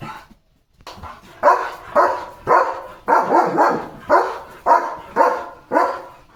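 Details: German Shepherd dog barking in a courtyard under a stormy sky after rain, with a rainbow visible. It gives a steady run of about ten loud, deep barks, roughly two per second, after a short quiet start.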